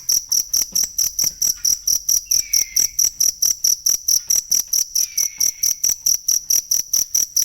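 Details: Shrill cricket pulses repeat quickly and regularly, about four each second, in a sound made for teaching songbirds to copy. Two faint downward-gliding whistles appear midway through.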